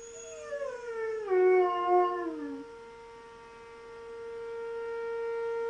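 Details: German Shepherd named Knuckles howling in reaction to a monthly siren test; a wavering howl falls in pitch over about two seconds, then fades, while the steady siren tone continues underneath throughout.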